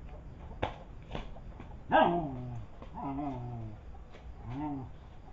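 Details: Village dogs fighting: a few short thumps and snaps, then one loud harsh bark, followed by three drawn-out, arching whining yelps, each rising and then falling, against a low background rumble.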